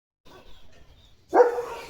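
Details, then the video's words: Male German Shepherd Dog let out to play in the rainy season, barking while getting soaked in the rain; one sudden loud, harsh bark after a second of faint rustling, trailing off into background noise. "Leo The German Shepherd पावसात भिजत भिजत भुंकतोय"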